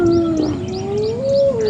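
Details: On a morning drive, as a hyena clan with sub-adults attacks one individual's ears, a spotted hyena gives a long, hollow, moaning contact call that dips, then swells upward before easing off; faint high chirps sound behind.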